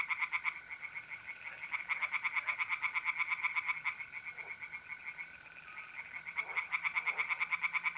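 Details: A night chorus of tree frogs at a pond in north-east Italy, mid-April. Long runs of quick, rasping pulsed croaks with short gaps, set against a continuous shrill mole cricket trill.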